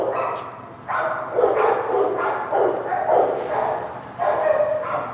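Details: Barking from dogs on set, one a female puppy; a brief pause, then clustered barks in quick pairs and triplets over a faint low hum.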